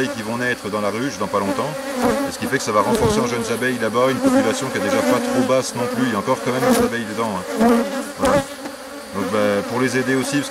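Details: Crowded honey bee buzz at a drone-laying hive being rescued on 3 May 2021 with a frame of brood and nurse bees from the adjacent hive; loud, even drone of many bees with undulating pitch and occasional soft taps.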